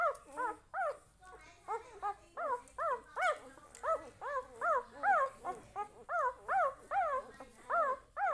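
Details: A puppy with its family: a steady series of high, bent-pitch whimpering yelps, each rising then falling, about two every second throughout, with faint human talk behind.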